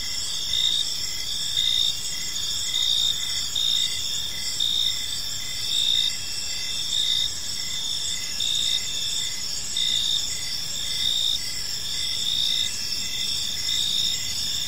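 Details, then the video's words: Evening cricket chorus in a quiet park: continuous shrill chirping layered in several high bands, with regular pulsing bursts about every second and a soft low background rumble. "Cricket Sounds in a Peaceful Park"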